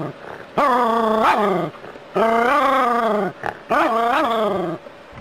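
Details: Jack Russell Terrier playing with water from a hose: three long, rough, harmonic growl-barks of about a second each, their pitch wavering with a brief upward flick, separated by short pauses.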